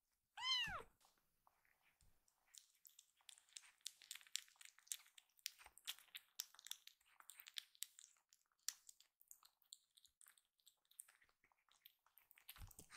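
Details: A rescued kitten, one of Hoshi and Iru, being given oral stomach medicine after a meal. One loud, drawn-out, wavering meow opens, then steady wet clicking, licking and handling noises fill the rest.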